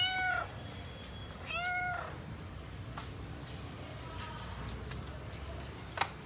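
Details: Hungry kitten searching for its parent cats at home: two high, drawn-out, slightly wavering meows within the first two seconds, then near quiet with a few faint clicks and a sharp tap at the end.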